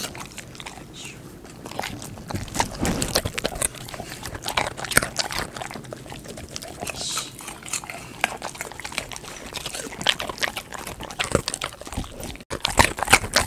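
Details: Close indoor recording of a golden retriever chewing raw sweet potato: steady run of crunchy bites and moist mouth clicks, dense and irregular, with a few louder cracks near the end.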